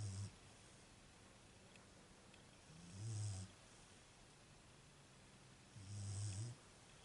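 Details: Sleeping female Beagle snoring indoors: short low rumbling snorts at the start, around three seconds and near six seconds, each a half-second gravelly breath with airy hiss, separated by quiet low hum.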